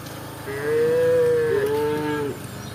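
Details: A tame cow from a village called Embooh moos in one long, drawn-out call lasting nearly two seconds, steady then wavering slightly near the end, with a low engine-like hum underneath.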